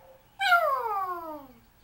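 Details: Pet Yorkshire Terrier Smokey calls for his owner with a loud indoor howl. The one-second cry starts high and glides steadily down in pitch, rich in overtones, then fades into a quiet room.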